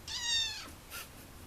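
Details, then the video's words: A kitten meows indoors: one clear, high, drawn-out mew lasting about half a second, followed by a fainter, shorter second mew. "Kitten Meowing"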